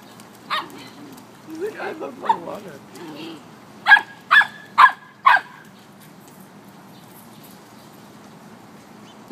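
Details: Samoyed and Chow puppies playing together, one teaching the other to play in water; a single sharp bark, a stretch of low yipping and whining, then four loud evenly spaced barks about half a second apart, with quiet background noise.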